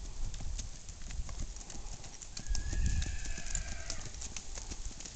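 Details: Hoofbeats of a Tennessee Walking Horse stallion, irregular clicking steps over low rumbling, with a thin steady whistle-like tone sliding briefly midway.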